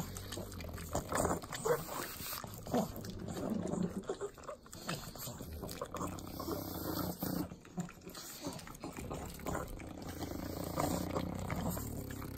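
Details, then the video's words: Three pugs lap butter in Southern California's Inland Empire, making wet slurping licks and grunting, pig-like snorts in irregular bursts. "ASMR Pugs Eating Butter - Calming Sounds of Sloppy Licking, Snorting"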